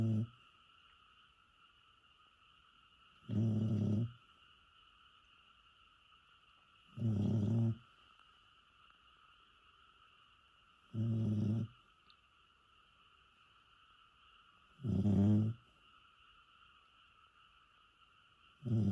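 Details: Elderly dog, bedridden since the previous October, sleeping at home in Japan; deep, human-like snores recur at an even pace about every four seconds, separated by quiet pauses over a steady background hum.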